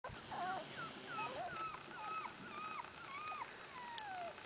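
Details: Litter of Miniature Australian Shepherd puppies giving high, thin whines and squeaks, many short rising and falling whimpers overlapping one another, with soft background noise.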